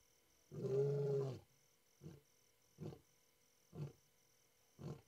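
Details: A male lion at Madikwe, South Africa, roars: one long, deep moan followed by short, grunting huffs about a second apart.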